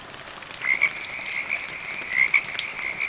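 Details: Short bursts of high, rattling frog croaks with a continuous trilling hum between them, over a background of medium rain.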